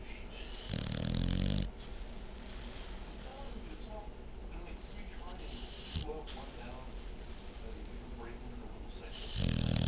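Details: Dog asleep and snoring, with rapid raspy breathing pulses about four per second, broken by two louder, voiced snorts at the start and end; a faint human voice seems to murmur in the background.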